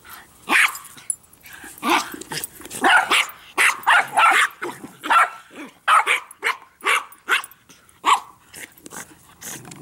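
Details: Three dogs playing with a Jolly Ball, growling and barking: a rapid run of short, rough, noisy barks and growling bursts, irregular, about one every second, overlapping one another throughout.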